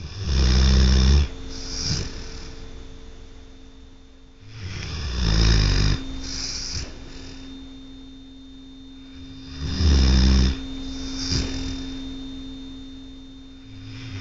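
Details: Sleeping at night, the pet dog Tucker gives loud, harsh, low-pitched snores, three long rasping breaths roughly five seconds apart, with quieter wheezy breathing between them and a faint constant hum.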